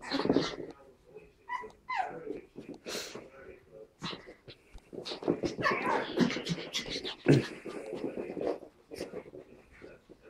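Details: Pug puppy Tilda and Chihuahua puppy Roz playing indoors: short rising whiny yelps early on, then a stretch of dense gruff growling and grunting, with murmured speech in a small room.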